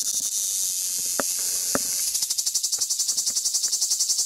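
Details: A large cicada on a Crimean pistachio tree on the Black Sea coast at Fiolent, Crimea, gives a high, hissing buzz breaking into fast rhythmic pulsing, about four beats a second; the recording is slowed down.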